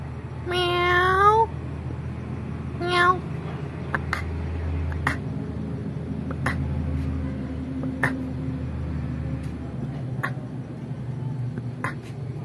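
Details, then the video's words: Pet kitten in a family home meowing back in reply to its owner: one loud, rising, harmonic meow, then a shorter second meow, followed by soft clicks and a low indoor hum. "Cute Kitten in family pet cat Reply with me "Meow Meow""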